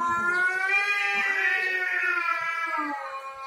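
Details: Domestic cats fighting over territory, one drawn-out wailing yowl held steady with rich stacked harmonics, gently wavering in pitch and fading near the end, with faint rustling underneath.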